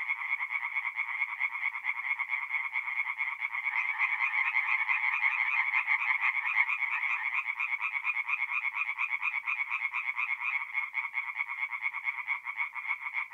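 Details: Forest pond at night in north-east Italy in mid-April, where a crowd of tree frogs sings in fast, grating pulsed croaks, swelling slightly in the middle into a dense continuous rattle.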